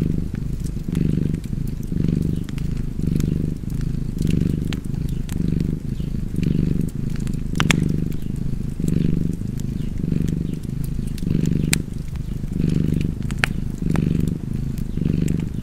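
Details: Rhythmic rumbling purr of a cat near a fireplace, each inhale and exhale forming a distinct swell about every second, with scattered sharp crackles from the fire.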